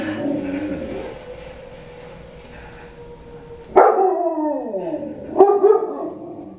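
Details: Dogs howling while watching Doctor Zhivago. A steady sustained tone from the film's soundtrack fills the first seconds. Then two loud, wavering, descending howls break in about one and a half seconds apart.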